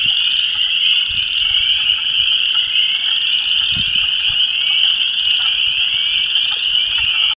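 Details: Dense spring mating chorus of Chorus Frogs, Spring Peepers and Wood Frogs at a disturbed ephemeral depression in Vermilion County, Illinois: a continuous high shimmering wall of trilled and peeping calls, steady throughout, with faint low wind rumble beneath.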